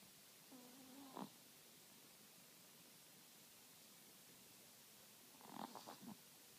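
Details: A Chihuahua snores in its sleep: a thin, droning wheeze ending in a snort-like catch, then after a quiet pause a longer, broken snore of several stuttering puffs.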